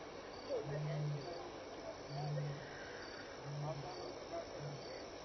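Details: Lion walking past Elephant Plains Game Lodge in South Africa, 6-7 PM, May 26, 2011, contact calling with return calls. A low roar series with each moan shorter than the last, tapering into brief grunts.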